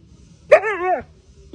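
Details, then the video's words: A husky reacting to seeing a fire for the first time gives a single half-second vocal cry, harmonically rich and wavering, bending slightly up and then sliding down, framed by near-silence on either side. "Husky seeing first time a fire"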